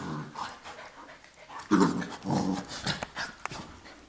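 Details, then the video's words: A Labrador Retriever puppy plays wildly and roughhouses with its mother: short low growls and grunting bursts with scuffling and panting, loudest around the middle of the romp. "Wildes spielen und Toben mit Mama Luna"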